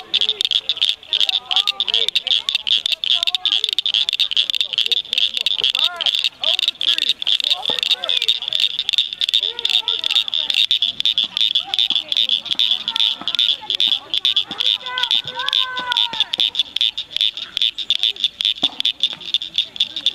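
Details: A dense chorus of rare Blanchard's cricket frogs (Acris blanchardi) at Cricket Cove Park near Cygnet, Ohio, in May 2006 makes rapid, sharp clicking notes like pebbles struck together.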